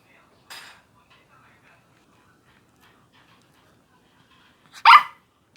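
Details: A puppy eating gives a brief faint sound early on, then one loud, sharp, harmonic bark-like yelp near the end, with near silence in between.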